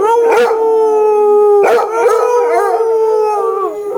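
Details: Basset Hound named Pretzel, a household pet, howls along with another basset heard from a screen; a steady, sustained howl held for the whole clip, slightly wavering, with two short yelp bursts.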